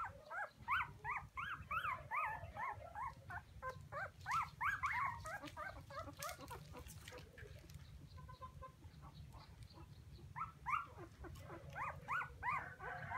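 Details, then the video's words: Several puppies calling for their mother with shrill, rising-and-falling whimpers repeated in quick runs, nearly three cries a second at times, above a constant low background hum. "Why Puppies So Crying full Where is mommy?"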